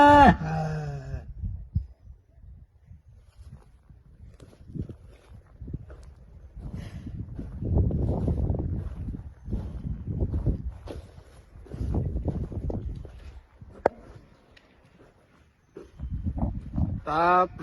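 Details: Large bull calling outdoors, opening with a short strained, harmonic bellow, followed by a series of low pulsing grunts and rumbles, and ending on another rising harmonic bellow.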